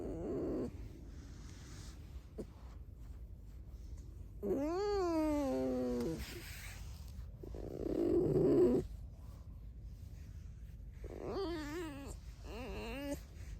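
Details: Alice, a pet red fox kept indoors, gives high whining squeaks that rise and fall in pitch, in two bursts around five and twelve seconds, between soft rustling and a low rumbling purr-like sound.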